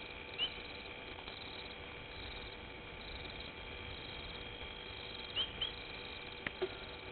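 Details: Single then paired bright high chirps from a painted reed frog at the Gowrie dam waterhole on Djuma Game Reserve, Sabi Sand Wildtuin, South Africa, at night, with a low click near the end and continuous background hiss.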